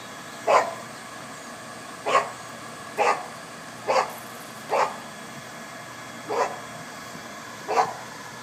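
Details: Boston Terrier named Rothko at a doggie daycare, making awful-sounding noises while playing with another dog; short barks repeated about every one to one and a half seconds, seven in all, over a steady indoor hum.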